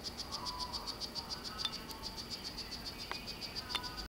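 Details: Courting male strawberry poison-dart frog, Solarte morph, in captivity with a female that has already laid one clutch. He gives rapid high chirps nearly four per second, broken by a few sharp clicks, until the sound cuts off.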